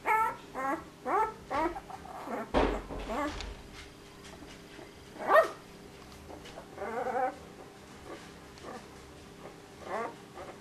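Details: Puppy named Dior tries to bark: short, high, squeaky harmonic yelps in quick bursts, several per second at the start, a louder broad yelp near the middle and another cluster toward the end, over a faint steady indoor hum.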